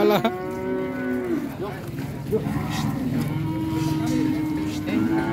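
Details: A cow gives long, low moos, deep and sustained at a fairly level pitch with a rich, harmonic tone, one call stretching over several seconds, over faint background noise.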